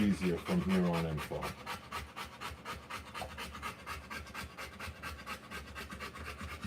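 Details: Rottweiler panting hard while giving birth to puppies: quick, breathy huffs at roughly two per second, regular and sustained, after a short human voice at the start.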